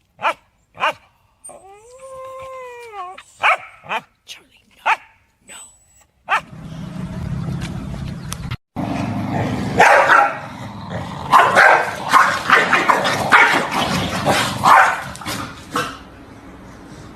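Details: Corgi dog with sharp short barks and yips, then a drawn-out, wavering whine rising and falling, and a few more barks. Louder, noisy sounds with scuffling and voices fill the second half.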